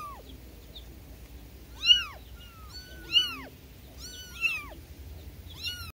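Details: Several newborn kittens cry for their mother with overlapping, thin, high meows that bend up and down. Cries come in quick succession, some layered on top of each other, against low background hum.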